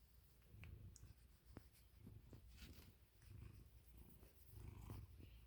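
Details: Milo, an American Ringtail cat, snoring and purring: a soft, low rumbling throb in slow pulsing waves, swelling and fading over about five seconds, with no other clear sounds.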